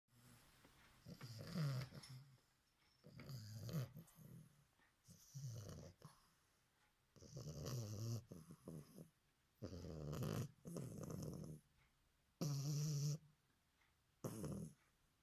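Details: Sleeping bulldog puppy snoring indoors, about eight deep rasping snores at uneven intervals of one to two seconds, each a low rumbling breath with a faint airy hiss, separated by quiet pauses.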